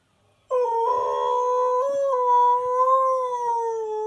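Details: Husky/Malamute cross, a male dog, singing along to a favourite TV advert: a steady, sustained tonal howl begins abruptly after half a second, holding one pitch with a slight wavering dip midway, rich in overtones, and continues unbroken to the end.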